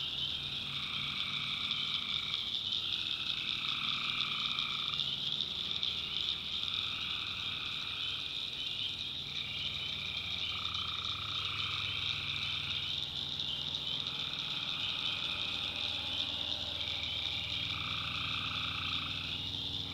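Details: Tree frogs calling at night in a backwoods swamp in North Carolina: a dense, steady high chorus with overlapping mid-pitched trilled calls that swell and fade every couple of seconds, over low rumbling background.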